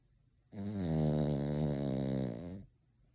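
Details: Noah, a Cavalier King Charles Spaniel asleep at Christmas with eyes open, lets out a single rough, droning snore of about two seconds that starts suddenly and fades at the end, indoors.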